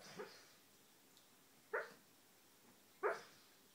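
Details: A pet dog sleep talking while dreaming lets out three short, muffled, breathy woofs, spaced about one to one and a half seconds apart, in a quiet room.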